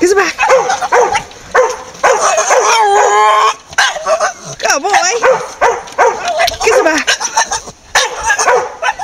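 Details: A male Staffordshire Bull Terrier chatters in a run of quick, wavering whines and yips that rise and fall while people laugh and talk to him.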